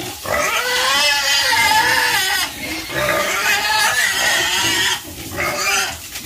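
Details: Several domestic pigs on a farm squealing in long, strained cries lasting two to three seconds. The squeals are shrill and wavering and pause only briefly between bouts.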